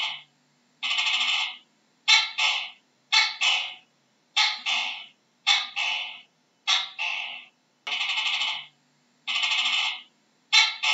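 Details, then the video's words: Gecko calling repeatedly, alternating long buzzy pulsed croaks with crisp two-note calls, a short bark then a longer trailing one, about once a second, with nothing else audible. "How does a Geko sounds"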